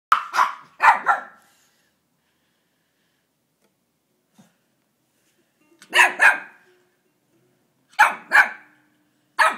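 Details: Household dogs, a Pembroke Welsh Corgi and two Pomeranians including a newly adopted rescue stray, in their first days together; loud sharp barks in pairs, four bouts spaced by silences of a few seconds.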